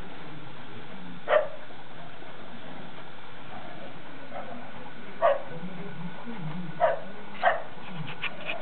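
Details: Bella and Dougal, a pair of poodles, play-fighting in snow they are meeting for the first time, York, UK, February 2012. Four or five abrupt barks are spaced irregularly, with a short flurry of softer yips near the end.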